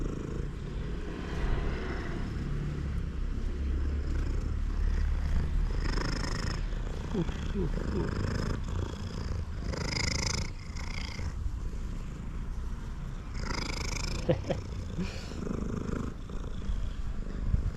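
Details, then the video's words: Purring male cat at its food, a continuous low rumble under several short bursts of a man talking to it. "Male cat that purrs loudly even while eating is very cute"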